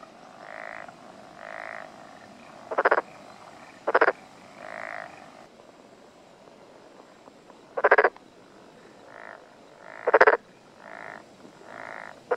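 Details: Black-spotted pond frog calling in a mountain area of Tokuji, Yamaguchi City, Japan, on the morning of 6 June 2021. It gives softer buzzing croaks about twice a second, with louder, sharper rasping bursts at intervals between them.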